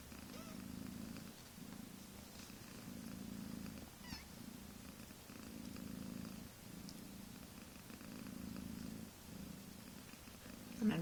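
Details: Low rumbling purr from a mother cat with her few-weeks-old kittens, rising and falling with each breath in steady cycles, with faint handling noise.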